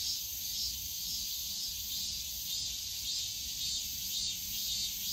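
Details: Cicadas drone in a steady, high-pitched buzzing chorus that swells slightly and never pauses, in a bamboo grove at Yongsan Family Park on a summer day, with park background noise.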